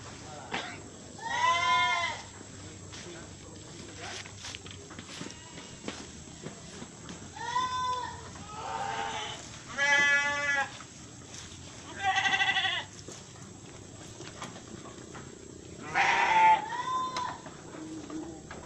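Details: Etawa goats at Aceh Tamiang give a series of loud, wavering, nasal bleats, each about a second long, coming roughly every two to three seconds in bursts, over a low background hum.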